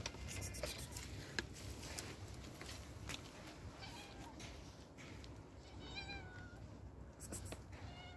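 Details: Homeless street cat meowing in a few short rising-falling cries near the end, set against a steady low rumble of outdoor background noise.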